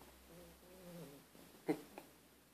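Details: A pet dog making pig-like noises indoors: short low nasal grunts with faint harmonic bands, followed by a brief sharp snort and a softer second one.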